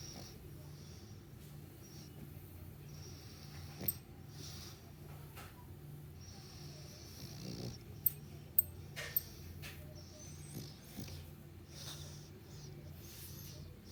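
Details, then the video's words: Dog snoring during morning sleep: low, rumbling breaths repeat steadily every second or two, with a few sharp clicks in the background. "snoring and having morning sleep"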